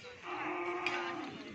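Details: Cattle at a crowded gathering event with many cows in Pamekasan, Madura, Indonesia; a steady, sustained low moo holds one tone for over a second, over a broad background hiss of noise.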